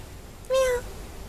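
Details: Two-week-old kitten, one of a pair of babies, gives a single short, clear meow lasting about a third of a second, steady and slightly falling, with a woman talking softly before and after.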